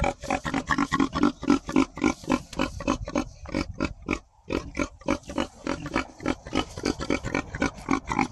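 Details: Domestic pigs (Sus scrofa domesticus) on a farm, interacting, grunt and oink in a rapid, chattering stream of short, throaty bursts.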